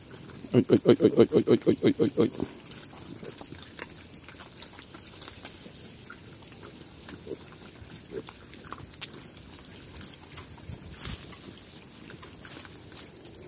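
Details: Farm pigs in Cambodia, known locally as Chrouk Kandorl, active and running about: a quick burst of about nine loud, rhythmic harmonic grunts within two seconds, followed by quieter rustling, scattered clicks and faint shuffling.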